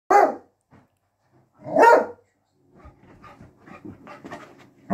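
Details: Beagle puppy play fighting indoors with a Maine Coon kitten: two loud, rough barks about a second and a half apart, followed by a run of soft scuffling and small yelps from the tussle, then another bark starting at the end.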